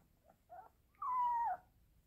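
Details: Pomeranian crying like a wolf once its owner has left home: two faint soft whines, then one clear half-second howl that starts high and slowly slides downward, over a low background hum.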